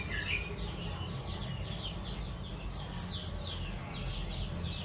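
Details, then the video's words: Cricket heard as a songbird training sound: loud, bright, high-pitched chirps in a steady beat of about four per second, with one brief bird note at the start. "masteran jangkrik untuk burung"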